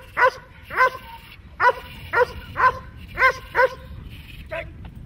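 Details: Dog in protection training, German Shepherd, Malinois or a similar working breed, gives sharp harmonic barks in an uneven series, seven to eight barks over about five seconds, against low background rumble.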